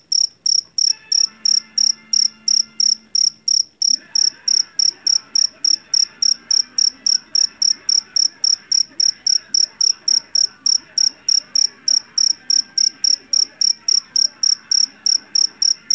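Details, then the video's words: Loud calling of a Javanese field cricket taken from a rice field: a long run of piercing, evenly spaced pulsed chirps, roughly three each second, with a low hum and faint background noise underneath during the opening seconds. "SUARA JANGKRIK PENGUSIR TIKUS SUARA ASLI"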